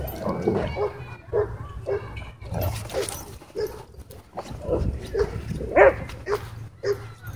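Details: Dogs at play in a dog park give a string of short, gruff, grunting growls roughly every half second to second, with one brighter bark near the end over a steady low hum.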